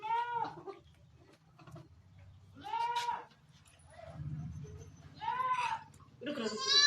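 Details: Barbari goat at a Sultanpur goat farm around delivery time, giving birth: four loud wavering bleats with rich harmonics, spaced about two seconds apart, with human voices murmuring in between.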